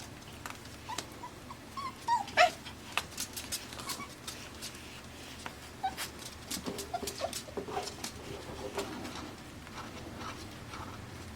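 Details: AKC Pembroke Welsh Corgi puppies, five weeks old, born June 20, 2026, in Arkansas, give soft, brief whimpers and squeaks scattered through the clip, mixed with frequent sharp clicks and tapping in an indoor space.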